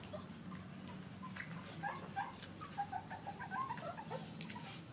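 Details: Baby puppies nursing from their mother dog; faint, short squeaky whimpers come in a loose cluster midway, over a constant low droning hum and quiet shuffling.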